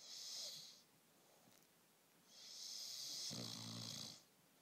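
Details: Bullmastiff puppy asleep, snoring in a hissy, airy rush on each breath, the second breath ending in a low buzzing rattle; two snores roughly two seconds apart in a quiet room.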